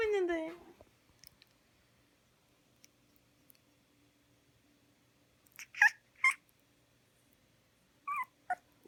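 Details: A Korean Jindo puppy, a baby dog born at a farm in Okcheon, Korea, yawns with a drawn-out, falling whiny squeal that fades within a second. Later come a few short, sharp squeaky sounds in a quiet small room.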